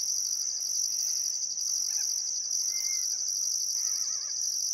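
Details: On a still summer afternoon at sunset along the Barcoo River, Welford National Park, Queensland, crickets keep up a thin, piercing trill with a pulsing upper note, while a bird gives a short whistle and then a quavering warble.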